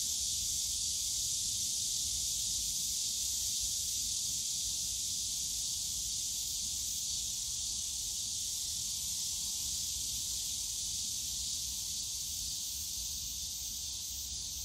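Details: Many cicadas droning together in the Yongsan Family Park bamboo forest in summer, a constant bright high whine holding steady throughout, faint low park rumble underneath.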